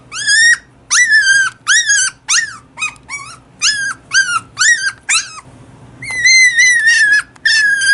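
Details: Toy poodle puppy, a female about six weeks old, crying loudly indoors: clear, high whines that rise and then slide down, repeated about twice a second, ending in longer sustained wails.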